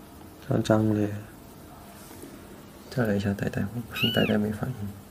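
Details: A small pet cat being scratched indoors, a test said to make it roll over; a brief arched, rising-then-falling meow near the end, with a woman talking loudly in Chinese before and through it.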